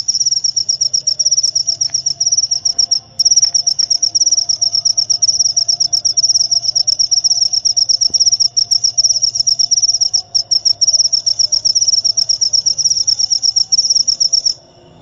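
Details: Cricket chirping, a recording offered for repelling rats and easing insomnia: a high, continuous pulsed trill of rapid even chirps that runs almost unbroken for about fourteen seconds, with only a few brief gaps, over a faint low hum.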